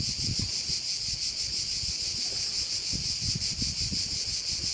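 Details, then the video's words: Continuous shrill cricket chorus at one of the bays of Korčula, high and evenly pulsed throughout, with intermittent low rumbles of wind on the microphone. "Korčula - view of one of the bays in Korcula with sounds of crickets"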